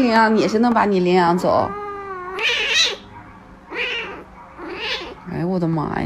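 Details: House cat with wavering, drawn-out meows and caterwaul-like cries at the start and end, separated by softer murmuring and Mandarin speech indoors.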